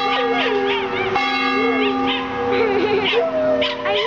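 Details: Buster, the neighbour's dog, howls during the ringing of the worship bell at East Hampstead Union Church, Hampstead, NH. Short, bending howl notes and yips come in quick succession over a steady, resonant church bell.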